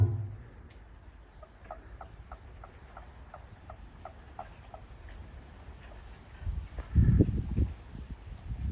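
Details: Japanese common toad calling behind a house as the frogs grow lively: a faint, evenly spaced series of short low croaking pulses, about three per second, followed by louder rustling and thumping.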